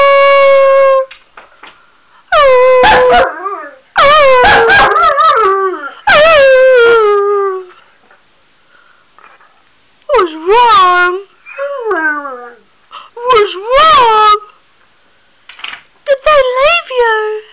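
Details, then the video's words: A male Weimaraner with bad separation anxiety howls in drawn-out, wavering bursts that rise and fall, with whiny yips between. "Weimaraner howl"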